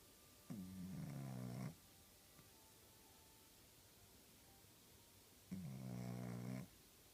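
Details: Japanese Chin dog snoring indoors: two drawn-out, low, harmonic snores, each about a second long and about five seconds apart, with quiet room hum between them.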